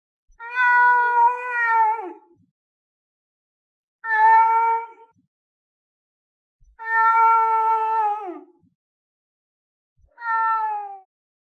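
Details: Lynx giving distinct meows: four drawn-out, nasal calls, each held steady and then dropping at the end, spaced roughly three seconds apart with silence between them.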